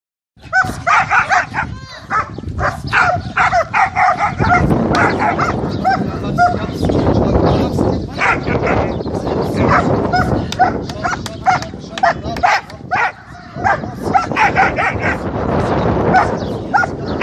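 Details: German Shepherd in aggression training, barking repeatedly in fast, irregular bursts, with people talking throughout.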